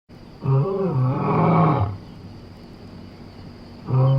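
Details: A lion, filmed as Somali wildlife, gives deep, rumbling roars that swell and fade, with a second roar starting near the end.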